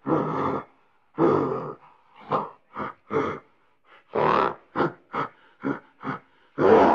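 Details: Gorilla grunting and grumbling out of frustration: a run of deep, rough, broadband grunts, two longer grumbles at the start, then quicker short bursts of varying length, ending on a drawn-out growl.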